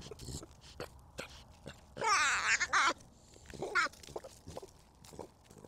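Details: Baby collared peccary, or javelina, giving a wavering, nasal squeal lasting about a second, followed by a shorter squeaky cry, amid scattered clicks and rustling.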